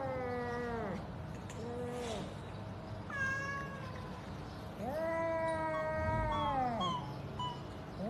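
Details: Cat mewing four or so times, each call wavering then falling in pitch, the later ones longer and louder, with faint room noise behind.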